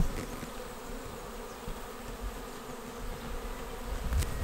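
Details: Honeybee swarm filing into a swarm trap on 19 May; constant droning hum of many bees, with a close buzz swelling toward the end and a brief click.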